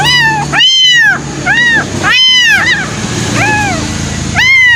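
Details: Abandoned baby kittens, newly rescued and awaiting milk, calling in insistent arched mews that rise and fall, several voices alternating every second or so, against a constant low droning background.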